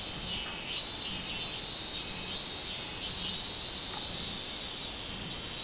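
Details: Pulsing shrill drone of a robust cicada, the Japanese minminzemi, captured 24 July 2016. The buzz rises and falls in slow surges roughly once a second, over a soft low hum.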